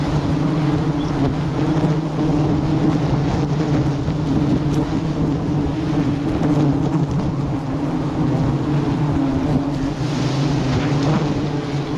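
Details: A steady, droning engine-like hum with low rumbling tones fills the whole stretch, with no animal calls standing out.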